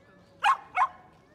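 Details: Dog at the Yoyogi Park dog run in Tokyo, Japan, giving two quick, clear barks about a third of a second apart over a quiet background.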